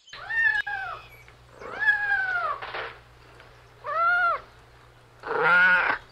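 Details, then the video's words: Playful kittens outdoors in a garden give four separate meows, each arching up and then falling, with short pauses between them and a low steady hum underneath. "Beautiful Kittens Playing Outside – Funny Cat Sounds"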